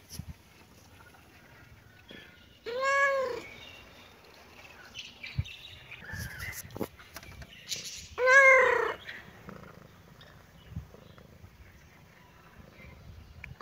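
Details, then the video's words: Playing kitten and cat in a cheerful mood; a pair of loud, arched meows about five seconds apart, the second slightly longer and brighter, amid quiet shuffling and occasional clicks. "kitten and cat meowing"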